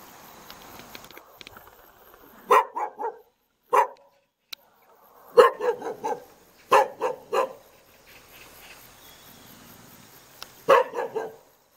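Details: Outdoors in a hanok courtyard in Jeonju, North Jeolla Province, Korea, a Jindo dog barks in short clusters of two to four sharp barks, spaced irregularly, with faint background noise between.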